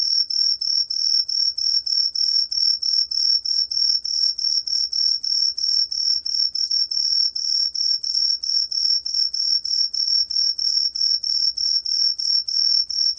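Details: Truljalia hibinonis cricket song from Korea's National Institute of Biological Resources, 2020: a steady run of short, high, pure-toned chirps, about three a second, with a faint lower overtone and no other sounds.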